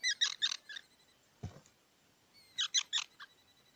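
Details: Harsh, buzzy squeaks from a squirrel come in a fast stuttering string, a single dull knock breaks the pause, and then a second string of similar grating notes follows over faint room noise.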